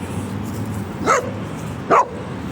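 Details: Dogo Argentino on an evening walk, meeting a street dog: two short, sharp barks about a second apart over low background rumble.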